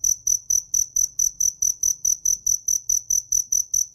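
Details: A cricket chirps steadily in the Mekong Delta countryside of southern Vietnam, a high, pure pulse repeated about four times a second, with a faint low rumble underneath.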